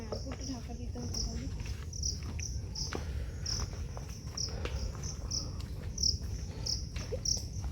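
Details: Many crickets calling in the Botanical Garden, Howrah, near Kolkata, during the rainy season; short high pulsed chirps repeat irregularly about every half second over a low rumble of background noise, with faint human voices.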